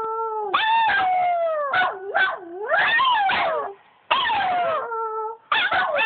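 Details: Two dogs, Bobby and Angel, howl at home in overlapping voices: gliding howls that swoop down and back up, interspersed with yips and whimpering notes, a short pause near the end.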